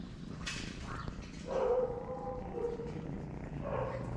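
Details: Hungry, homeless street cats, one dirty, meowing for food: a soft low meow, then a longer drawn-out meow with a steady tone, and a short rising meow near the end, over background noise.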